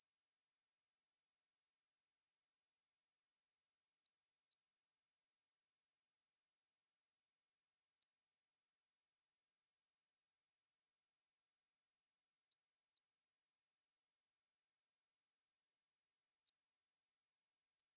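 A Korean field katydid calls with a continuous high-pitched buzz, dry and sizzling, held at an even loudness throughout. Nothing else can be heard behind the insect.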